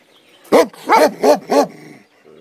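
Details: Komondor guarding a boathouse beside the cave bath at Miskolctapolca, Hungary, barking four times in a quick run of deep, harmonic barks, then falling silent.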